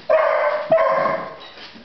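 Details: Nine-month-old beagle Echo, frightened by a basket, utters two short, tonal, ringing bays back to back, the second trailing off softly.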